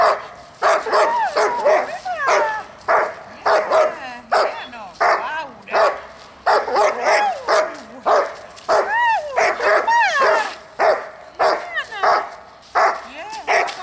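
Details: Barking dog serving as the distraction in a dog-school training session: a long, fast run of sharp barks, roughly one and a half per second, mixed with yelping, wavering whine-like tones.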